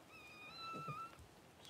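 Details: Newborn Cavalier King Charles Spaniel puppy, one of the first two born to mother Paris during a home whelping; a thin, whistled squeal is held for about half a second, level then dipping, followed by soft low thumps in a small room.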